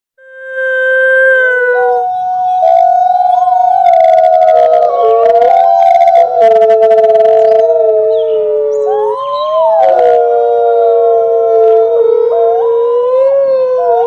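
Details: Wolves, a pack, howling together at once: several long, smooth overlapping tones sliding up and down around mid pitch, voices rising and falling in a continuous chorus for the whole stretch.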